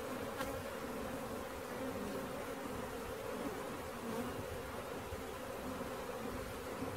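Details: Honey bee swarm being caught, a dense steady droning hum with clear bands low in the range, holding level for the full stretch with no pauses.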